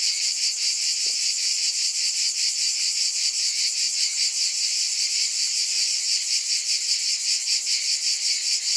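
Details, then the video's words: Cicadas in a dense, continuous high buzzing chorus that throbs in steady pulses about two or three times a second, with no other clear sounds. "Scintillating Cicadas 1 hour White Noise"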